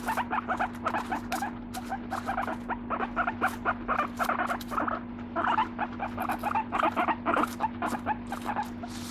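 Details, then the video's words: Pet guinea pig Moru-chan, a live animal likened to a plush toy, gives a continuous run of soft squeaky 'mokyu mokyu' chatter in short, closely repeated bursts over a steady low electrical hum. "モキュモキュぬいぐるみのようなモルモット Guinea pig cute voice"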